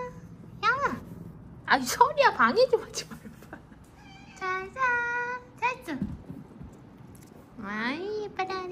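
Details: Rescued weak kittens, found clinging to each other, give a run of high, harmonic meows, some drawn out and rising then falling, mixed with bursts of human speech in a small room.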